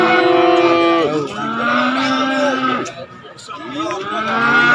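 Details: Cattle at a livestock market where calves and young bulls are sold: a steady low moo that bends downward, then a second long, slightly rising moo, with background music and people talking.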